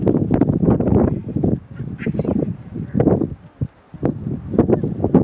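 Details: Geladas in the Simien Mountains, Ethiopia, on 28 July in early afternoon, give low, nasal, grunting calls in quick, uneven bursts while grooming, with faint wind.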